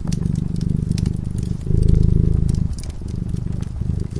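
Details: Cat dozing before a warm fireplace gives a deep, rapidly pulsing purr that grows louder midway through, as scattered crackles from the fire sound over it.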